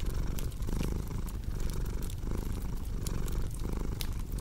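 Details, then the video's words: Close, throaty cat purr, low rumble beating in regular breath cycles, accompanied by light crackling and sharp pops from a fireplace. "Purring Cat with Cozy Crackling Fireplace Sound"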